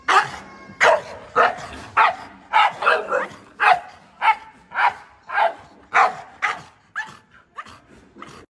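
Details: American Bully dog barking in a rapid series of short, sharp barks, about two every second, some doubled, with a slightly hoarse, mid-pitched tone throughout.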